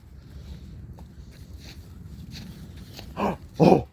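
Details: A pet dog, Daisy, out playing with a stick; after soft rustling and footsteps, two short, rough barks come close together near the end, the second louder.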